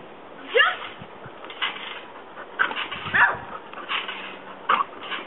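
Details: Pet dog jumping on a trampoline. It gives short, high whiny yips and whimpers with quick pitch sweeps, in scattered bursts every one to two seconds, over a muffled, dull background.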